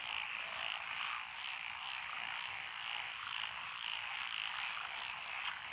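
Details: Dense frog chorus from lotus paddy fields in Echizen, Fukui Prefecture, Japan, June 12, 2021, with tree frogs, pond frogs, wrinkled frogs and green tree frogs calling together; continuous croaking with a faint pulsing rise and fall throughout.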